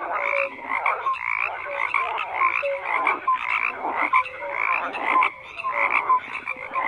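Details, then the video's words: Croaking frogs in full chorus, harsh pulsed calls with short level whistled notes repeating at a lower pitch, groups of calls rising in bursts about once a second with a brief lull near five seconds. "FROGS CROAKING"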